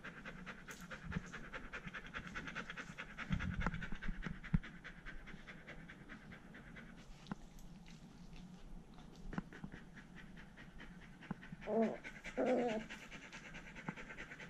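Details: Indoors with poodle brothers Iruma and Dory, Dory leashed outside his fence: quiet fast panting continues through the clip, with brief soft vocal sounds near the end.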